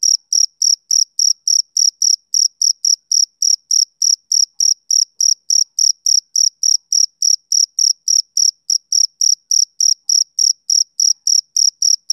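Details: A male cricket calls on a summer evening, its sharp high chirps repeating rapidly and regularly, around three and a half each second, continuing for twelve seconds with no other sounds.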